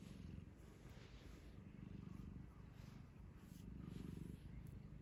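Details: Chii, a once-rescued pet cat, asleep on a lap and stroked while sleeping; a low, rapid, rhythmic rumbling pulses steadily throughout, swelling slightly in loudness, with faint handling rustle.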